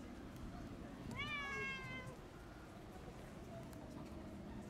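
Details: One of three sibling homeless cats living in a park in Istanbul, getting wet in the rain, gives a single drawn-out meow that rises, then holds level for about a second, over a steady background hiss.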